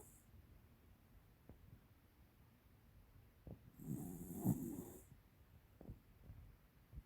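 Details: Female American Cocker Spaniel, 13 years old, called Tiara, snoring: one drawn-out, throaty, snorting rasp over about a second, among soft sniffs and quieter breaths before and after.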